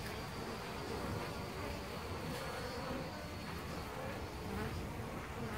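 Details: European honey bees nesting in a hole in a tree trunk at Costanera Sur Ecological Reserve, recorded from ten centimetres away: a dense, steady swarm hum with overlapping wingbeat drones and faint higher whines drifting through.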